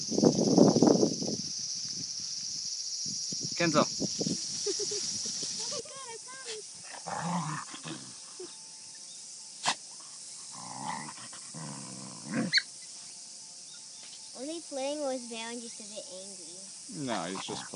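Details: Kishu x Shikoku puppies from one litter, 52 days old: short high wavering whines and yelps with rising and falling pitch, mostly in the second half, among scuffling and thumping sounds and a few low bursts.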